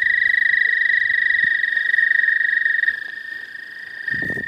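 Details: Suspected American toad calling in spring in the southern half of Missouri: a long, steady high-pitched musical trill held without break for about three seconds, then a second overlapping trill continues, with a brief rustle near the end.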